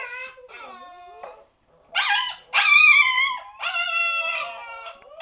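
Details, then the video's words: Husky pups at seven weeks, confined to a puppy pen, make a racket: a soft sliding whine, a pause, then three loud, harmonically rich howls, each lasting about a second. "husky pups at 7 weeks, being noisy!"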